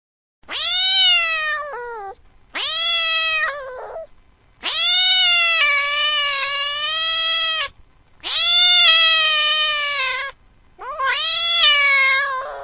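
A frightened, aggressive cat gives loud, drawn-out yowls, each harsh and wavering, in five separate bursts.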